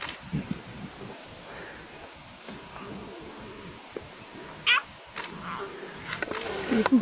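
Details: Lion cubs, eight of them with two Styx pride females, filmed wild on safari on July 9, 2016. They give brief, high, cat-like mewing cries, one sharp rising squeal standing out, over a low steady background with faint human voices.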